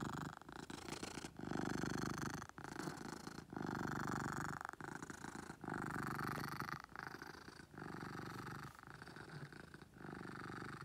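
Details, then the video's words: Beetle, a domestic cat, purrs loudly in a small room; continuous low rumbling broken into breath cycles roughly every second, each phase a dense vibrating drone. "Beetle Purrs"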